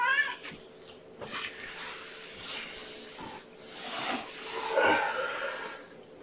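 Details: Domestic cat, mother Gamora or her kittens born April 14th, at breakfast feeding indoors: several high harmonic meows spread through the clip over a steady background hum.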